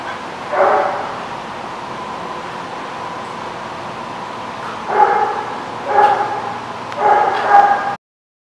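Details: Dog barking at a lot, recorded 12 August 2016: one bark near the start, then after a pause three sharp barks about a second apart, over steady background rumble.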